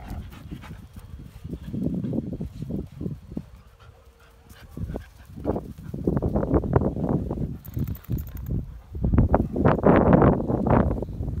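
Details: German Shepherd puppies at play pant and whimper in quick, uneven bursts, with soft low grunts between.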